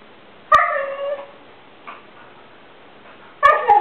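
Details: A female Siberian Husky gives short, wavering yips and talking whines trying to get the attention of another dog that is napping; Siberian Husky.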